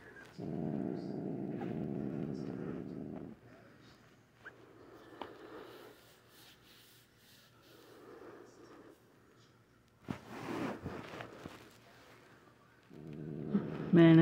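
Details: Upset female pet cat, growling and hissing at night, rumbles in a long low growl, falls to quieter intermittent growls with handling noises and a woman's soft voice, then growls loudly again.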